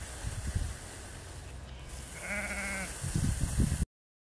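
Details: A single wavering bleat from sheep being herded in the field by Border collie Lars, four years old, rising out of gusty wind buffeting, with more wind bursts after it before the sound cuts off.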